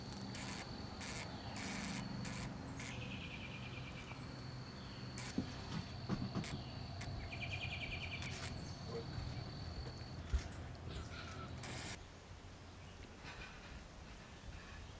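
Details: Emerging cicadas near Manassas, Virginia, hold a continuous high buzzing drone with short rhythmic pulsing bursts. The drone stops near the end, leaving low rumbling noise and scattered bird chirps.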